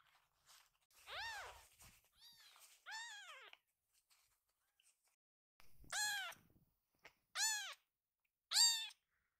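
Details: Rescued baby kittens running happily to their caretaker and being picked up, calling with clear, high arched meows, a cluster early then single loud meows about every one and a half seconds toward the end, in a quiet room.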